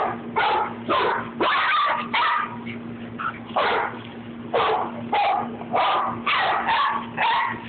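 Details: Playing Rat Terrier in a mock fight with another dog, Babygirl: dense, harsh barks and growly yaps follow each other rapidly, nearly two per second, above a constant low electrical hum.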